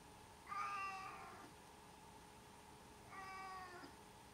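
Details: Pet cat meowing twice, each call long and even with a slight drop at the end, about two and a half seconds apart over a constant low electrical hum.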